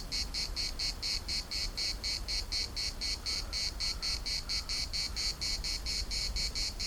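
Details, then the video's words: Cicada chorus in the municipal park of Larnaca, a loud unbroken train of shrill buzzing pulses, roughly four per second, with a low rumble of wind underneath throughout. "CICADAS at the municipal Park Larnaca"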